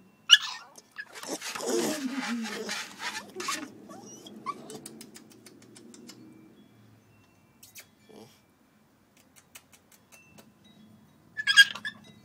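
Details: Coco-T, a puppy put outside after a toilet accident, crying: a harsh, noisy wail of about three seconds that slides downward into a lower, fading whine, with short sharp yelps near the start and end and quiet gaps between.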